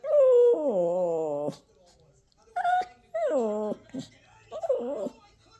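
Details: Toy Poodle puppy in a tantrum indoors, giving long falling, groaning whines with rich harmonics, a brief pause, then more descending whines and short wavering cries.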